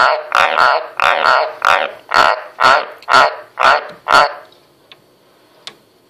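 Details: A White's tree frog (Ranoides caerulea) croaks on command, giving a run of deep, raspy croaks at about two each second.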